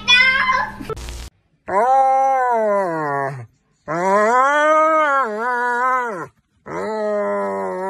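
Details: Vocal German Shepherd dog producing three long, wavering moaning howls, each a few seconds long, bending down then up in pitch, with short silences between them and a brief noise burst at the start.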